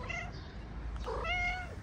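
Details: Stray ginger cat in Morocco, playing with a feline friend: a short harmonic meow, a pause, then a longer, clearer drawn-out meow over a steady low background hum.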